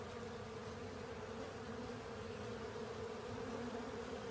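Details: Many honey bees and companion insects working over a honey filter, producing a continuous layered drone: a clear mid-pitched buzzing band over a rougher low hum, even in loudness from start to finish.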